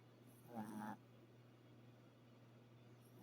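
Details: One short, buzzy snore from a dog asleep, rising briefly and then stopping, followed by a low constant hum with no other sounds.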